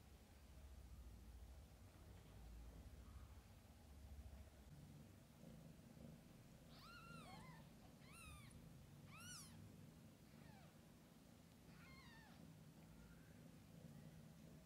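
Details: Kittens with their mother cat, from birth until their eyes open; a burst of short, high, downward-sliding mews repeated in quick succession midway, over a loud low rumbling background.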